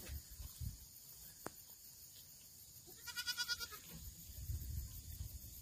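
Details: Farmed black goat in Gimhae, South Korea, September 2024: after low rustling and a sharp click, one quavering bleat of rapid pulses lasting under a second, followed by low thumping and shuffling noises.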